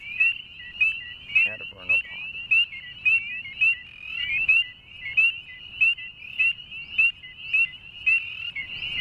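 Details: Dense chorus of northern spring peepers including a calling male, with bright rising peeps overlapping from several frogs, around a hundred per minute, a brief lower throaty trill from another frog near the start.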